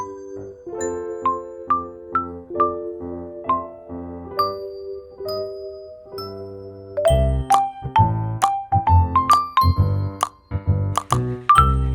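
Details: A bright tinkling children's tune plays on chime-like tones, with a fuller beat joining halfway, and no animal voice.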